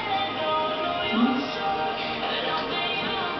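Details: Loud continuous music with a voice mixed in fills the room, and no animal sound stands out.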